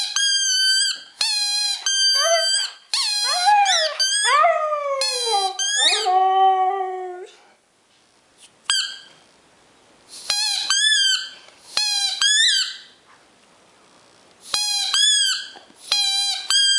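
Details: Two-year-old male Siberian husky howling in excitement at his squeaky ball: shrill, repeated toy squeaks open, then a wavering, falling howl rises between them, followed by a pause and further bursts of high squeaking.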